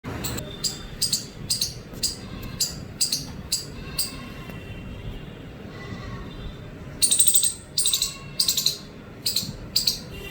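An Indian palm squirrel gives sharp, high chirps repeated about twice a second.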